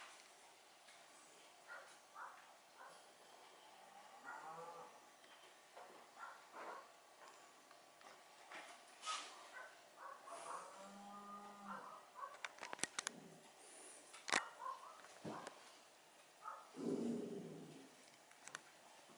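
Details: Yorkshire Terrier puppies, born 1 May 2013, playing indoors, recorded 26 June 2013: scattered high whines and short yelps with arching, rising-falling tones, interrupted by sharp knocks and clicks, plus a low growly whine near the end.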